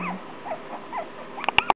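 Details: Playing together, three-and-a-half-week-old female Shorkie puppies (Shih Tzu crossed with Yorkie) give a run of short, high, wavering whimpers, then a few sharp yips mixed with clicks and tapping noises near the end.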